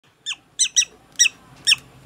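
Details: Prairie dog at a veterinary clinic in Nagoya, Japan, during treatment with eye drops, letting out six sharp, high chirping squeaks in quick, uneven succession, each a brief downward-sweeping note.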